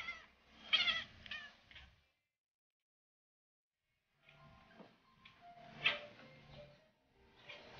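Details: Bengal cat giving short, bright meows in quick bursts, a cluster of chirpy calls early on, then a pause and a second, looser run of mewing with faint household noise.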